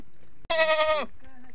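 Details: A goat gives one harsh, wavering bleat lasting about half a second in the early morning; on the farm, goats bleat when hungry, and the kids start calling too on hearing it.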